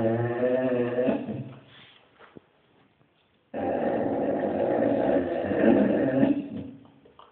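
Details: A Basset hound begging out on the street lets out rough, wavering howls in two bursts separated by a short silence. The second burst is louder and more drawn out, with a grainy, growly texture.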